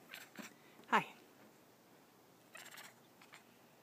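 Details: Savannah cat Benga, a friendly male pet that walks in the woods, gives one short meow that bends up and then down, with soft rustling and faint thumps before and after.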